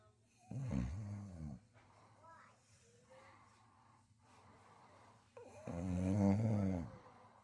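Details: Female beagle-bulldog mix asleep on a couch snores loudly, like a human, in deep, rumbling bursts, two loud breaths a few seconds apart.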